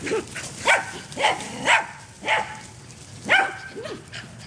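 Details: Back-yard romp: a dog lets out a rapid, uneven series of about seven barks, some with falling tails, each roughly half a second apart, over a light noisy background.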